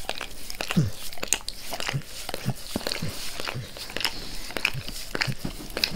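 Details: Close-up ASMR of Max, a pet dog, licking his owner's face; moist lapping and clicking smacks come in an uneven steady run, with occasional deeper mouth sounds, and no speech.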